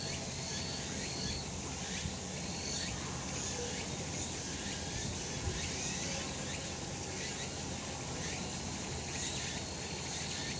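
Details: Cicadas calling on a sunlit summer mountain: a dense, steady hiss of insect sound fills the upper range, with faint pulsing bursts at the top and a low outdoor rumble underneath.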